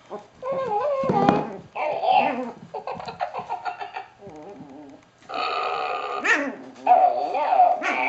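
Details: A Chihuahua puppy playing with a ball on a blanket gives high, wavering whines and small growls in quick, uneven bursts.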